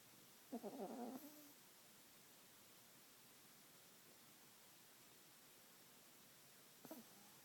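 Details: Pet dog Lillie sleeping after a long day's play outdoors gives one rasping, fluttering snore lasting under a second, then a long quiet pause and a brief faint snort near the end.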